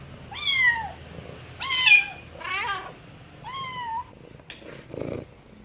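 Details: Kitten being taught by its mother cat, with the mother answering; four harmonic meows, falling and wavering, followed by faint clicks and a soft rustle.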